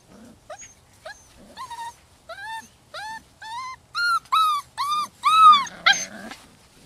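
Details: Holly's six-week-old rescue puppies cry in a series of about a dozen whimpers that grow steadily louder and longer, each arching up and down in pitch, ending in a harsher yelp.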